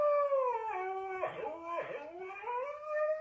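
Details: Domestic dog howling indoors, a sustained, mournful tone that slides down, wavers through a rougher middle section, then rises again over about three seconds with no other sounds.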